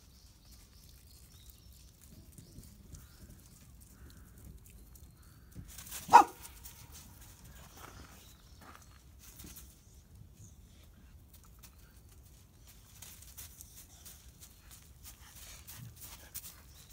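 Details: A Siberian Husky staying at a pet hotel in Hamamatsu, Shizuoka, gives a single sharp, loud bark against a quiet background while trying to invite another dog to play.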